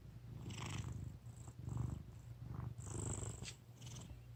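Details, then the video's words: Fat domestic cat snoring while asleep indoors: a deep, rumbling purr-like drone with soft breathy hisses on several breaths, some bursts louder and airier than others. "Fat cat snoring"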